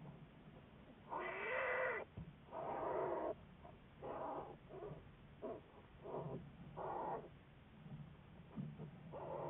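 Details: American black bear under study at the Wildlife Research Institute, February 10, 2014; a series of about seven short, harmonic crying bursts, the first longer and wavering, later ones choppier, with a constant low background hum.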